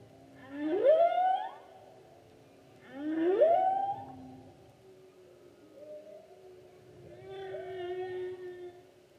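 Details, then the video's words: Humpback whale song from the 2016 season: two strong rising upsweeps about two and a half seconds apart, then softer short upward notes and a longer, quieter harmonic moan. "Humpback Whale Season 2016--Photos and Whale Song"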